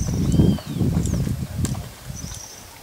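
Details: Guardião, a brown purebred Lusitano stallion at the Coudelaria Aguilar stud, moving with heavy, dull low thuds in uneven steps through the first part, then fading; thin whistled bird calls, some sliding, ring out above.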